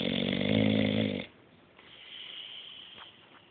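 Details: Bruce, an English Bulldog, snores in deep sleep: one loud, rumbling, harmonic snore of about a second, then fading into quiet breathing with faint clicks.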